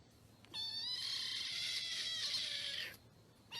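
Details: A domestic cat gives one long, drawn-out meow lasting over two seconds. It stays steady and slightly falls toward the end, with little background noise.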